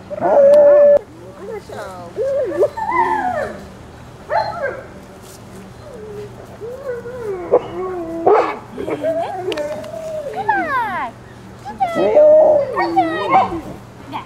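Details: Litter of 26-day-old Alaskan Malamute pups from Ciqala, recorded in September 2009, giving wavering howls, yips and whines in overlapping bursts, with people talking softly in the background.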